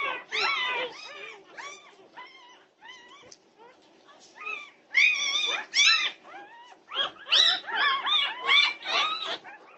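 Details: Norwegian Buhund puppies causing pandemonium at 2:30 am, June 8, 2021: many short, high, overlapping yelps and whines, clustered and irregular, loudest near the start and again in the second half.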